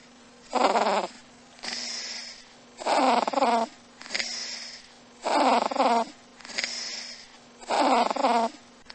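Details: Domestic cat snoring: rasping breaths come in rhythmic pairs, a rough, louder inhale followed by a softer exhale, the cycle repeating about every 1.2 seconds over a faint steady hum.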